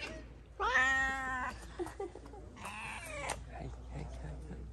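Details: Harassed street cat in Morocco utters a loud, harmonic drawn-out meow, then a second wavering meow about two seconds later, with faint rustling and a human voice between.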